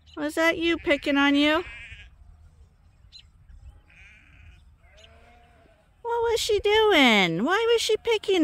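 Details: Sheep at Ewetopia Farms crowding in a morning pile-up while waiting to go out to pasture. Loud, wavering bleats come in two bursts separated by a quiet gap with faint calls; the second bleat bends downward then rises again.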